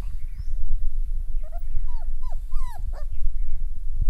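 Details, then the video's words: Doberman female with her puppies in Muktsar, Punjab; a run of short, high, squeaky whimpers, each bending down in pitch, clustered in the middle seconds over a steady low rumble. "Doberman female with puppies"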